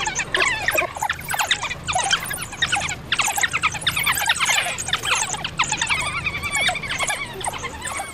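African wild dogs chatter in a dense chorus of high, squeaky twitters and squeals.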